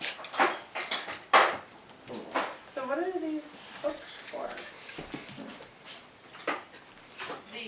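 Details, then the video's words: Siberian Husky 'talking' indoors: a short, wavering, yodel-like vocal slides up and down near the middle, followed by a few shorter grumbles. Human speech and clattering knocks sound throughout. "Mishka's the Talking Husky's Uncle"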